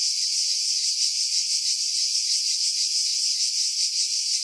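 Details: Cicadas singing in pine trees over Pefkos Bay, Skiros Island, Greece, July 2018; a hissing, high continuous buzz with soft rhythmic throbbing, nothing heard below the insect band after wind filtering.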